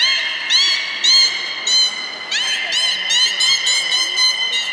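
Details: Beluga at Port of Nagoya Public Aquarium, Japan, 23 March 2019, in the play time after feeding: a rapid series of bright upswept chirps about twice a second over sustained tonal whistles, high and birdlike.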